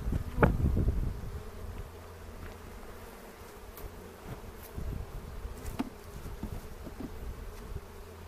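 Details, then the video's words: Low droning hum of honey bees at an open hive in a foothill bee yard near Cochrane, April 27, 2018, during a spring inspection for queen cells; a loud thump of handling at the start, then the steady buzz with scattered faint taps. "Bee Hive Inspection"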